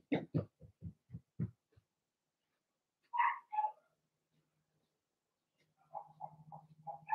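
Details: Blenheim Cavalier King Charles Spaniel puppies from Remy's first litter of six, born March 7–8, in a home puppy pen: low grunting pulses, then two rising whines and a run of short high yips over a steady low hum.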